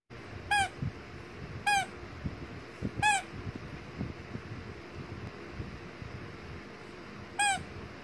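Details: A tiny Shih Tzu puppy lets out four short, high squeaks, three close together and a last one after a pause, with soft indoor rustling underneath.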